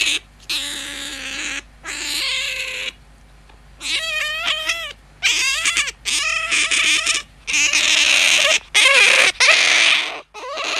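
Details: Tame pet otter, a whiskered squeaker acting as an alarm clock, gives loud, shrill harmonic squeals in bursts of about one to two seconds with short silences, some notes wavering and bending in pitch.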